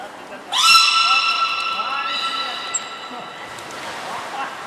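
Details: Captive belugas Hodoi, Taanya and Mirai during a training session at Port of Nagoya Public Aquarium, 14 September 2019: one sustained, steady harmonic tone of about three seconds, with a brief sharp high whistle partway through.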